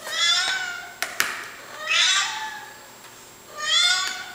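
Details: Hungry male house cat Micro pestering for breakfast early in the morning inside: three loud, wavering meows spaced roughly every one and a half to two seconds, with a couple of sharp clicks before the second.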